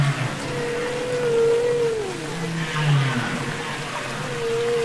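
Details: Humpback whale song recorded underwater on Capitol Records ST-620: a sustained mid-pitched wavering moan that dips and rises, low grunting pulses beneath it, and a steady tonal note returning at the end over ocean hiss.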